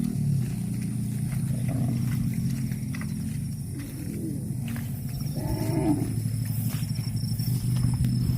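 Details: Grazing cattle, with a soft low moo near the middle followed by a louder, fuller bellow that swells and falls away, set against a constant low rumbling drone.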